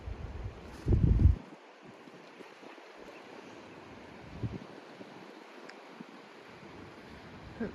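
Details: Wind noise and gusts on a clifftop coastal walk in autumn, with faint surf and no clear animal calls.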